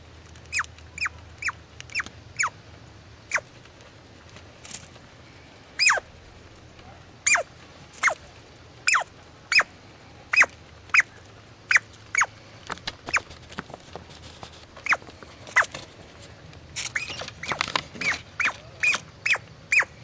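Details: A squirrel gives scattered sharp, descending chirps, at first quick, then spaced out with pauses, ending in a fast flurry of squeaky calls over a soft background hum.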